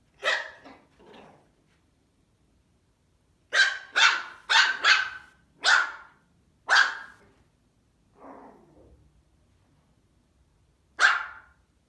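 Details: A Maltese puppy gives sharp, high-pitched yapping barks in irregular bursts while barking at its reflection in a mirror.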